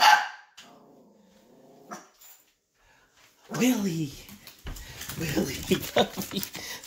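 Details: Yorkshire terrier puppy barking as its owner comes home at night, barking until it knows it is safe before greeting at the door; a few whines, then a burst of rapid sharp barks mixed with the owner's voice.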